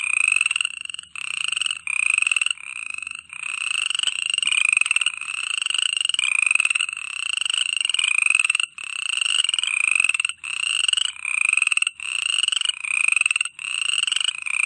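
A steady night chorus of frogs, with dense rattling croaks repeating roughly every second.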